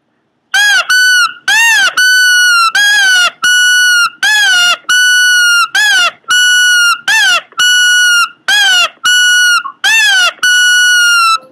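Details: Pomeranian making weird noises indoors: a loud run of harmonic, whine-like cries alternating between short arched notes that rise and fall and longer flat held tones, about a dozen in quick succession with brief gaps.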